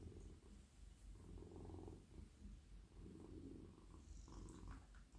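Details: Male domestic cat purring while being stroked on the head, neck and body as he melts in a lap; a steady, deep, rumbling purr with soft swelling and fading, plus faint rustling of hands on fur.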